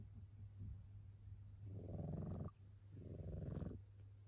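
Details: Tabby cat asleep and snoring in a human-like way, two rasping, low breaths about a second each with a short gap between, over a soft constant hum.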